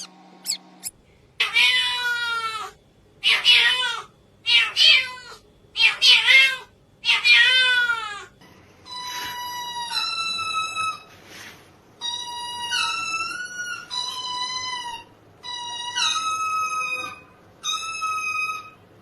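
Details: Cat giving a strange, drawn-out vocalisation: first a run of harsh, buzzy, rising yowls about once a second, then long clear tonal meows with steady pitch and a brief dip, repeated every two seconds; quiet background.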